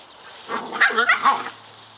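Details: Scottish Terrier pups Bonnie and Basil having fun together: a quick cluster of three or four high, squealing yips with rising and falling pitch, over a faint steady hum.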